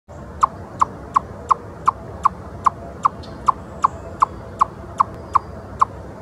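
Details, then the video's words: An eastern chipmunk on a log gives alarm calls, sharp, bright chips in a steady series, a little under three per second. "Ontario Wildlife: Eastern Chipmunk Alarm Calling"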